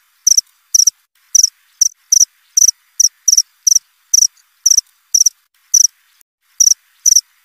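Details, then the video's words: A cricket gives sharp, high-pitched chirps roughly twice a second, some coming in close pairs, with slightly uneven gaps and a quiet background. "Suara jangkrik krik.. krik.."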